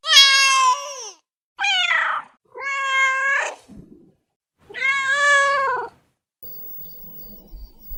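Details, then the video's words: Domestic cat meowing: four loud, drawn-out, harmonic-rich meows of about one second each, some wavering or slightly rising, with short gaps, followed by a faint low rustle at the end. "Som de Gato, Gato miando"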